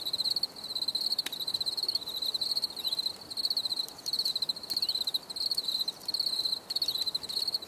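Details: Crickets calling in a nature recording, continuous rows of quick high pulses in short bursts, with a few sharp clicks and faint sliding notes behind.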